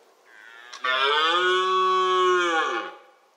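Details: A red deer stag (Cervus elaphus) gives a single drawn-out, hoarse roar during the October rut.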